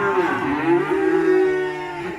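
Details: Black sacrificial cow being unloaded from a truck at a rural pen gives a full, throaty moo lasting about two seconds, dipping then levelling in pitch, fading slightly at the close.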